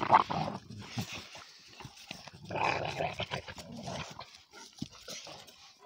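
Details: Two energetic young Cane Corso Italiano, Conor and Bala, mock-fighting: short throaty growls in separate bursts, one louder snarl around the middle, with gaps of quiet between.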